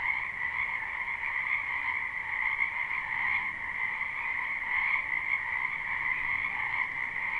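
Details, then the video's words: Frog chorus at night in a spring wetland behind a home, live recording: unbroken layered trilling from countless callers, holding an even high and lower pitch, with slight swells in loudness every few seconds. "Ambient Noise for Sleep Frogs"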